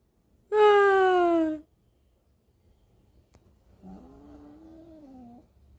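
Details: A 4-month-old female Pomeranian (German Spitz) puppy, being taught to howl, gives a loud, falling howl followed by a softer, wavering second howl.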